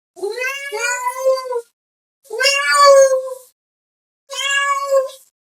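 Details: Domestic cat meowing to call another cat: three long, loud, drawn-out meows with rich harmonics, each about one to one and a half seconds, separated by short silences.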